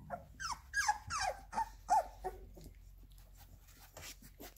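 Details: Labrador Retriever puppies eating minced beef give a series of high whines. Each one slides quickly downward and repeats about twice a second, then the whines fade into quieter squeaks and feeding sounds.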